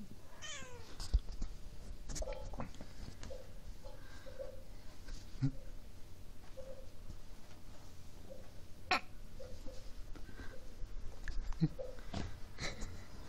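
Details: Maci, a pet cat, gives a falling meow early on, then faint soft chirps and short mews scattered through the recording over steady indoor hum and occasional clicks.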